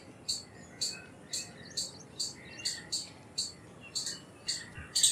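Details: Shrill chips from an Indian palm squirrel, about two each second in an even series, each note short and piercing high, with a soft noisy background and a louder final burst.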